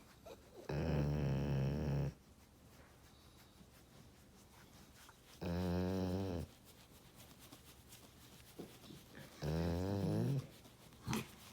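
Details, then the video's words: A dog named Kevin makes funny, adorable noises: three drawn-out, low, wavering groan-like vocalizations, each about a second and a half long. Quiet pauses of roughly three seconds separate them. "Kevin making adorable noises."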